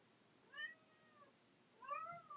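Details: Pet domestic cat caterwauling indoors during a recording: two drawn-out, rich harmonic meows, the first near half a second in and bending downward, the second louder and wavering near the end, over a quiet room hum.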